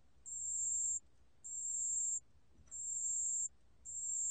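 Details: Pale bell cricket, 2020 National Institute of Biological Resources sound archive, giving high, pure ringing trills in bursts of about a second, each separated by a short silent gap, over a faint low background hum.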